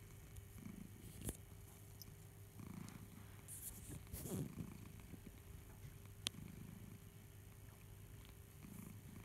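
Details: House cat purring while suckling on a cherished teddy bear indoors; a low, continuous rumbling purr rising and falling in gentle waves, broken by soft rustles and a single sharp click.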